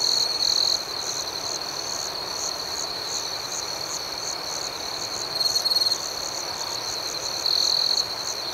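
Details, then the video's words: Nocturnal crickets sustaining a high, even trill beneath quick repeated chirps, with louder ringing bursts at the start, around five and a half seconds, and near the close. "Soothing Cricket Sounds"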